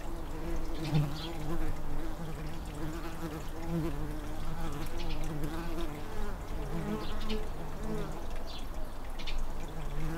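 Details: Tree bumblebees nesting in an unused blue tit nestbox in a garden, with an 'air-conditioner' bee stationed by the entrance on hot days to fan cool air. A steady, low, layered droning buzz wavers slightly in loudness throughout.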